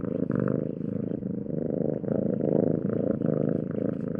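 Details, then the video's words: Steady, vibrating rumble from a purring domestic cat, even in loudness, its throbbing texture rising and falling gently with each in- and out-breath. "Cat Sound Effects"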